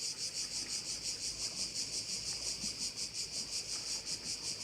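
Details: Crickets at one of the bays of Korčula: a dense, high-pitched buzzing chorus pulsing steadily about three times per second, with no other clear sounds.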